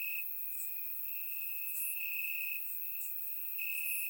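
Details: Grass crickets at night during warm summer weather in Bulgaria, surround-microphone recording; a high continuous chirping trill with a few stronger stretches and faint sparkling insect notes higher up.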